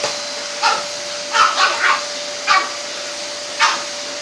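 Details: Pug and French Bulldog agitated by the hoover; a few scattered barks, one quick triple burst in the middle, while the vacuum cleaner's loud steady whine dominates.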